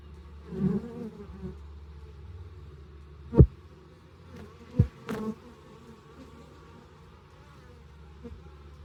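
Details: Honey bees buzz in short, uneven bursts at an insulated horizontal hive entrance in South East Texas, over a soft low hum, broken by a few sharp knocks or clicks.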